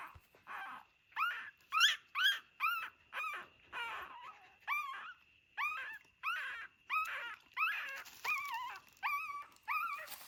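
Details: A dog, one of a mother and her puppies living in an old house, gives about seventeen loud, high, arched whimpers in steady succession, with a faint constant high tone behind them.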